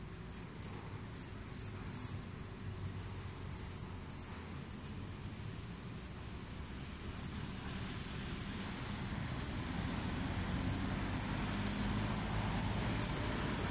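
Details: Requena verticalis calling: series of short, very high-pitched sizzling buzzes, sometimes single and sometimes in quick pairs or triplets, steady through the recording above a faint low background hum.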